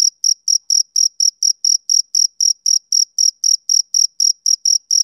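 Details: On a summer evening, a male cricket gives an unbroken series of thin, shrill chirps, each brief and spaced evenly at about four per second, with no other noise.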